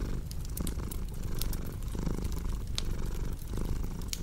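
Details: Low, even purring from a domestic cat, rhythmic rumble with soft breath breaks every second or so, accompanied by crisp crackles and snaps from a fireplace.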